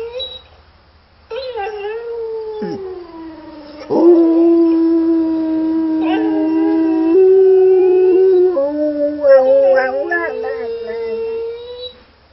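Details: A male English Springer Spaniel howls in long, wavering tones in response to another Springer Spaniel howling in a YouTube video.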